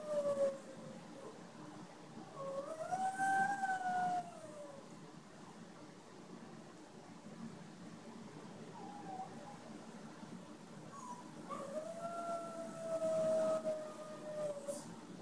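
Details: A male Boston Terrier howls in long, wavering tones, crying out for his companion, another Boston Terrier, who has left for surgery.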